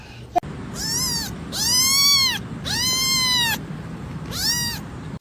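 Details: Cat meowing: four loud, drawn-out meows, each arching up and then falling, spaced about a second apart over a steady background hum.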